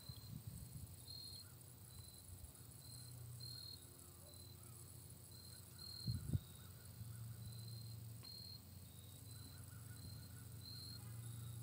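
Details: Night crickets outside a hometown chirp in short high bursts, repeated about every second, over a steady low rumble and a brief thump midway.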